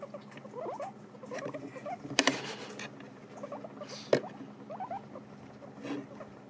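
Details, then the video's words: Pet guinea pigs eating dried apples, recorded close up: soft irregular crunching and chewing with small squeaky scratches, a couple of louder clicks and knocks, over a steady low hum. "ASMR pommes séchées mangés par mes COCHONS D'INDE"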